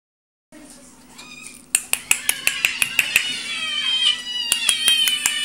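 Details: Domestic cats, a father, mother and their kittens indoors, calling together: a quick series of sharp, clicky high meows roughly three per second over a steady background hum, with longer harmonic wavering tones layered underneath.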